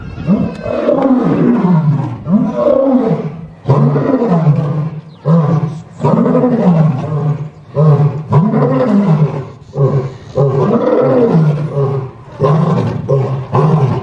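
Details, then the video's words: A lion roars in a series of deep, rumbling, moaning bursts, each swelling and fading about every second. "¿Te gustaría escuchar el rugido de un león?"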